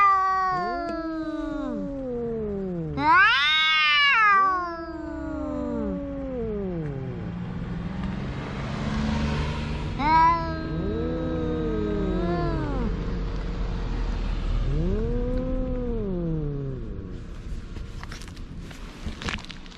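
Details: Drawn-out cat wails and meows rise and fall, a loud cry early on then softer moaning calls repeated, with a steady low rumble and some hiss in the background.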